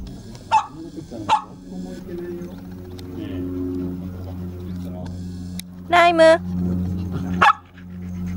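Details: Young Toy Poodles at play in a dog run give scattered short, sharp barks, including a brief run of yips near the end, over a steady low electrical hum.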